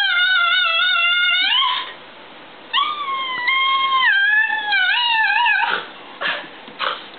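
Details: Pet mixed-breed dog, Italian greyhound and miniature pinscher cross, 'talking' to its owners indoors: long sustained harmonic howl-like tones that bend and waver in pitch, followed by shorter yips and a few breathy sounds.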